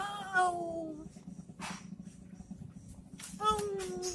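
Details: A cat playing with a stick gives two short meows about three seconds apart, each sliding downward in pitch, over a low steady hum and some soft rustling.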